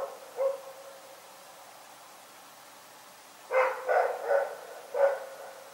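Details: Night-time barking from the dog Rex: a single bark, a three-second lull, then four rapid barks in a row against a quiet backdrop.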